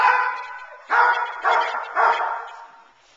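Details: Teal, a nine-month-old Boerboel bitch in protection training, kept off the sleeve to build intensity and focus on the man, gives three deep, harsh barks about half a second apart after a fading opening bark.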